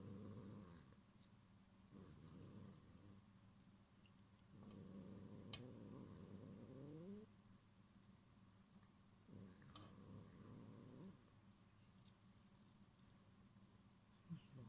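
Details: Young pet cat named Gyopi growling to threaten and defend its string toy, Cotton-sensei, from another cat, Ebiten-kun; low rumbling growls come in bursts of one to three seconds with quiet pauses between them.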